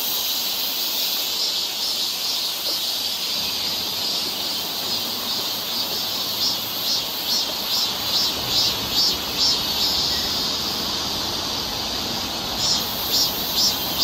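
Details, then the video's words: Cicadas on a Korean summer forest trail in Seoul sing a loud, sizzling high-pitched drone that swells in rhythmic pulses, roughly two per second, strongest toward the middle and end. "cicada sound"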